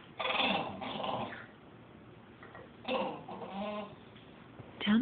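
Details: Victorian bulldog, a male pet, talking back to his owner in a drawn-out conversation: low moaning, grumbling whines in two long bouts, ending in a rising squeal, with the owner's voice nearby.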